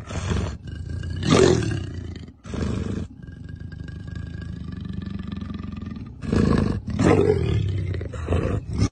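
A leopard calls with deep, coarse, rasping roars that come in heavy bursts. Between them a quieter, low rumble carries on for a few seconds before the harsh grunting returns.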